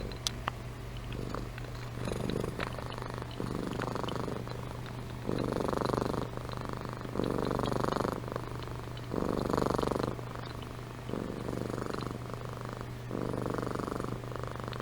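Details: Amy, a pet cat, purring and snoring while asleep: loud rumbling bursts of about one second alternating with quieter breaths, roughly every two seconds, with occasional sharp clicks.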